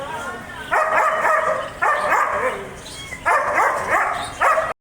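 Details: A German Shepherd barks four times, each a loud, raspy burst about a second long, with short quiet spaces in between.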